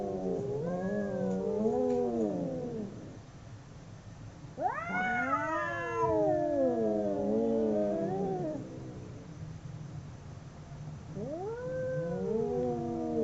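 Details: Two domestic cats howling during a fight, with wavering, undulating wails, a sharp rising yowl in the middle, and another rising howl near the end, separated by short pauses.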